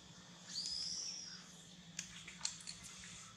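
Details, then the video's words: Baby monkey being weaned by its mother, crying to beg for milk; a single thin, high whistled cry lasting under a second, slightly rising then level, followed by a few faint clicks and taps in a quiet room. "Pityful baby monkey cry Reguest Milk."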